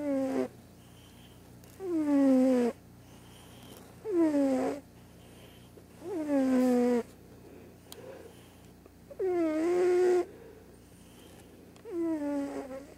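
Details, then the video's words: Large white cat, deaf, snoozing in the morning and snoring loudly; six long, descending, tonal breath sounds with rich harmonics recur about every two seconds, separated by near silence. "Snoring Cat"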